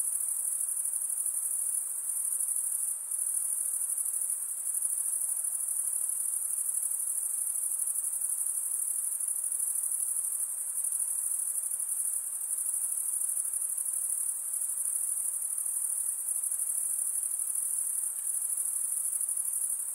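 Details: Night insects calling in a continuous chorus: a steady, very high-pitched shrill ring that never pauses, over a soft, faint lower hiss.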